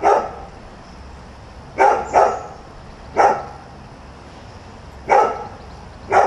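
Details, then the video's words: Nuisance barking from a dog newly arrived at a new house, heard at 7 a.m.: six sharp, mid-pitched barks, some in quick pairs, spaced irregularly over about six seconds against a faint steady background hum. "Nuisance barking dog"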